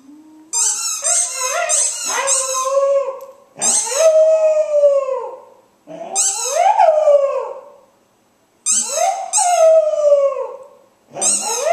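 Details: Domestic dog singing to the sound of its squeaky ball: loud, sustained howls that climb and then fall, repeated in five phrases separated by brief silences, each one led by piercing squeaks from the toy.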